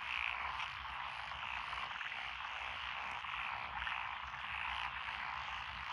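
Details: Several frog species calling together in countryside lotus paddies in Echizen, Fukui, Japan, June 2021. A continuous wash of overlapping croaks and trills, swelling slightly at times, with no single caller standing out.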